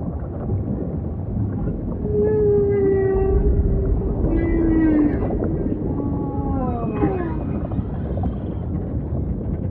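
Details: Humpback whale song with ocean ambience: long, steady moaning tones near mid pitch, some gliding downward, layered with rich harmonic upsweeps and brief rising cries over a constant low watery rumble.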